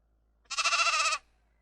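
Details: A single sheep bleat, a quavering, tremulous cry lasting under a second, strongly harmonic and steady in pitch, against near silence.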